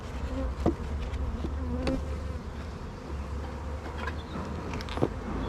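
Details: Honey bees in a very busy hive during a beginner's first hive inspection at an apiary, young bees present and drone cells being built; a steady low droning hum with faint harmonic bands, broken by sharp clicks and knocks of handling.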